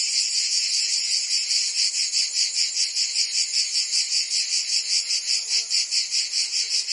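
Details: Summer cicada chorus in Provence, southern France, a loud unbroken shrill buzz throbbing in quick regular pulses, with a faint low tonal sound briefly near the end.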